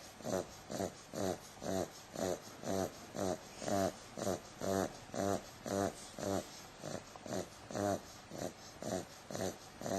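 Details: Sleeping 8-week-old bulldog puppy named Bumble snoring in an even rhythm, roughly two wheezy, snorting breaths every second, each rasping pulse alike and separated by short quiet pauses.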